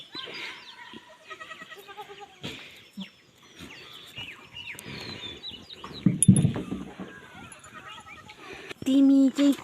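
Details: Boer goat kids being fed milk at a goat farm in Nepal; several short, wavering bleats with a strong, steady bleat near the end, mixed with human voices and farmyard clatter.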